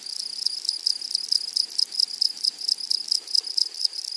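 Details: Prairie grasshoppers calling in a flowering meadow: a high, sizzling trill pulsing in short rapid bursts, roughly evenly spaced, forming an unbroken insect chorus.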